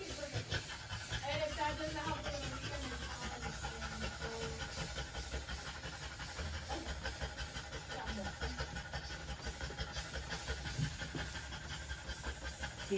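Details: Female French Bulldog panting during trans-cervical insemination, a scope-guided breeding procedure; steady, rapid, breathy hissing bursts run through the whole stretch, with faint human voices and a low background hum underneath.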